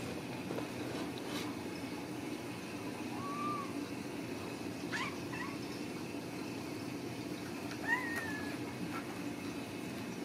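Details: Ragdoll kittens raised in a home cattery in central Kansas, kept without cages: three short, soft mews rising then falling, spaced a few seconds apart over a steady low household hum.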